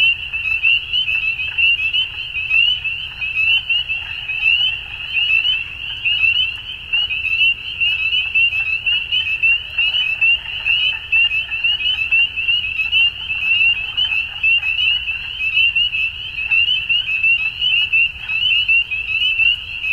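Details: Numerous frogs calling at dusk, producing an even, shrill trilling drone of fast overlapping pulses that holds steady for the whole stretch.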